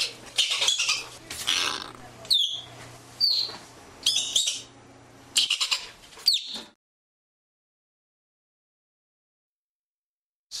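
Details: Arctic ground squirrel, North America: a burst of sharp, high, squeaky chirps and quick whistled sweeps, uneven in rhythm, followed by silence after about seven seconds.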